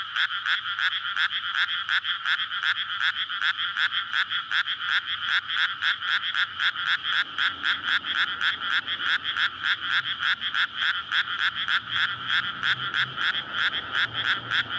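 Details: May night in a freshly flooded rice paddy: frogs emerge from winter soil and call in courtship, recorded on a SONY PCM-D100. A thick chorus of quick repeated croaks, near four per second, with slight low road rumble late on.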